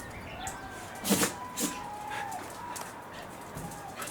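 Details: Stephan, a pet Welsh Corgi, sneezing repeatedly, recorded 2 April 2021: two sharp, breathy bursts about half a second apart near the middle, over a quiet indoor background.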